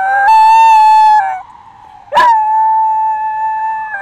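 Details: Pet dog imitating an ambulance siren: loud, clear, sustained howls that step between two pitches like a two-tone siren, broken by a short pause and a sharp yelp before the steady tone resumes.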